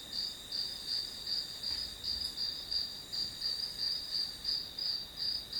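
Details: Grass insects chirping as study background white noise: a steady high-pitched trill near 4–5k pulsing in regular bursts about three times a second, with a faint lower harmonic and no other clear sounds.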